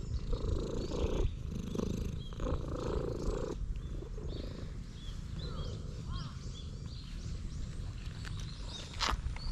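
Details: Stray cat in a park, purring loudly while leading the way to playground equipment, filmed on a GoPro: a deep, steady rumbling purr in pulsing bursts, with thin chirping bird calls high above.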